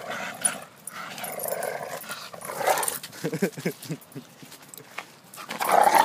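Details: Two dogs, a bull terrier and a Staffordshire terrier, making gruff growls, then a quick run of short pulsed grunts and a final louder rasping growl, with faint voices in the background.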